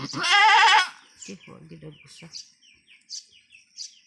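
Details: Anime, a long-horned female goat on a small backyard farm, in a hard first birth: one loud, wavering, quivering bleat just under a second long, followed by soft human talking and faint clicks.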